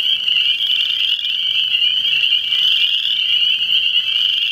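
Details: Frogs in full chorus, a thick shrill ringing trill of many overlapping voices, steady and unbroken from start to end.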